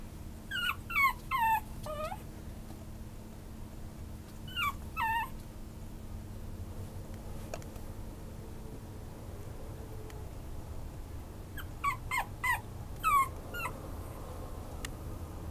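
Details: Maltese-Chihuahua mix dog whimpering in three bursts of high, falling, nasal yips, each burst holding three to five notes and separated by several seconds of near silence with a low steady hum.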